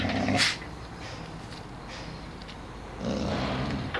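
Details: Zara, a female wolf kept at a wild animal shelter, growls low and rough in two short bursts, one at the start and one near the end, with quiet breathing between them.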